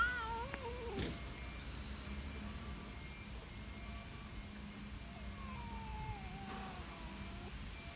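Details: Calico cat living in a park, meowing in its distinctive voice to appeal for attention: a loud wavering meow at the start, then a softer, long, falling meow later on, with a constant low outdoor hum behind.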